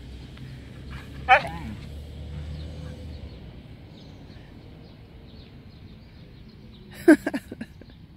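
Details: Siberian Husky that wants to play, waking a sleepy companion: two short, sharp yelping whines several seconds apart, the second a quick cluster of yips, amid quiet room hiss and a person urging it on.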